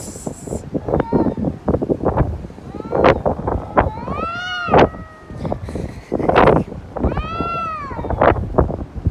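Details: Domestic cat calling in drawn-out, child-like wails that rise and fall, several long arched cries a second or two apart, with wind rumble and handling noise throughout.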